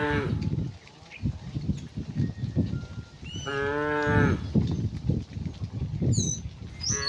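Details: Tame cows herded home to the pen along a quiet village road in the afternoon; one harmonic moo about a second long rises out of heavy low rumbling and footsteps, with faint bird chirps near the end.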